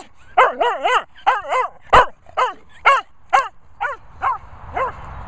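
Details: Cocker Spaniel during retrieving work, a run of rapid, rising-and-falling whining yelps at about two per second, with one short bark partway through and light background noise.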